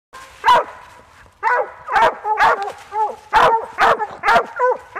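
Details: Treeing Walker and Plott English cross coonhound barking in harsh bursts with bent, wavering tones, about two barks a second in uneven rhythm, some rising and falling like short bays.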